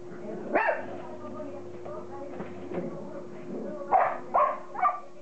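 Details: Border Collie puppies, the litter of Kim and Indi, playing together; short yappy barks and growly yelps scattered through, with a cluster of three sharp barks near the end, a steady low hum underneath and a person's voice early on.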